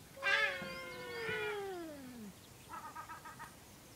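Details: Two domestic cats making strange noises: a loud yowl that starts high and slides steadily downward over two seconds, then a quieter run of short rapid pulsed chattering notes.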